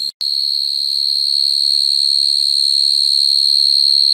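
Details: Night-time field cricket call aimed at females and used as a trapping lure: after a brief cut and click at the very start, an unbroken high metallic trill that steadily grows a little louder to the end.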